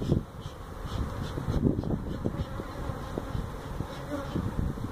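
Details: Feral honey bee colony that built its hive inside a stack of tractor tires at a citrus orchard in Mission, Texas, being removed; a dense low droning hum runs throughout, broken by scattered knocks and handling clatter.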